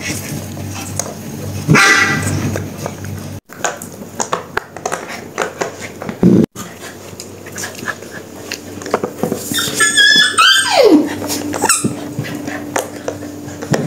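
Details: Two-month-old puppies indoors, playing with their first squeaky toy; a short yelp early on, then a high whining squeal that slides downward near the end, amid pattering paws and scuffling.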